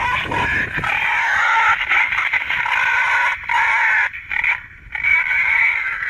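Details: Wild boar feeding-call lure used by hunters: shrill, strained squeals running almost continuously, breaking into short choppy bursts and small gaps toward the end.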